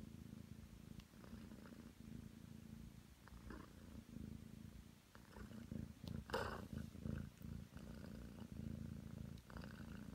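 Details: Low, rumbling purr from Aki, a nine-month-old Ragdoll cat kneading on the bed, being affectionate. The purr is steady and unbroken, with soft rustling and faint fabric sounds scattered through.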